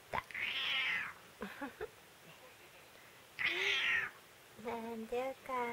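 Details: Indoor white cat, angry at its owner after failing to catch the brown tabby cat it loves; two bright high wailing meows with a woman's voice between and after them in a small room.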